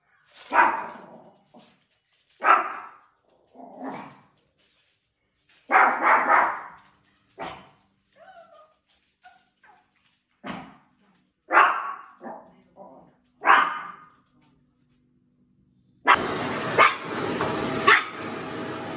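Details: A male Maltese puppy, born November 2021, gives sharp, high yapping barks in bursts of one to three; he barks only on his own terms, especially at cats entering his garden.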